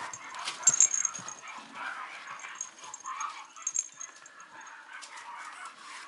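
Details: Female Mame Shiba puppy at a breeder in Japan, giving soft, high-pitched whimpering squeaks in short bursts over a quiet background with faint rustling.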